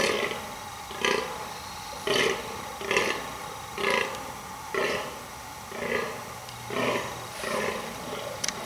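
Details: Steady run of about nine harsh, belching groans, roughly one per second, from a rutting fallow deer buck trying to impress females with near-continuous burling in the rut.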